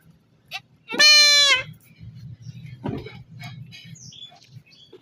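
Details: One loud, harsh, drawn-out bleat from a male goat undergoing castration, lasting well over half a second, followed by faint clicks, handling noise and quiet voices.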